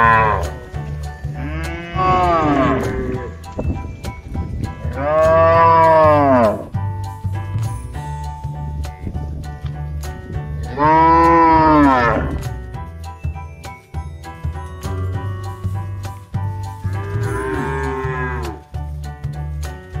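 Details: Mother cow on a modern cattle farm: four long, drawn-out moos, rich and harmonic, each lasting about two seconds and spaced roughly five to six seconds apart, with steady background music throughout.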